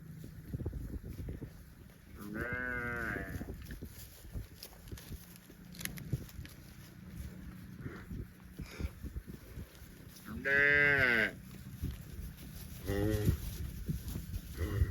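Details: Livestock cows roaming in the fields: a long, rich moo around two seconds in, a second drawn-out moo near ten seconds, then a shorter one, over steady outdoor background noise.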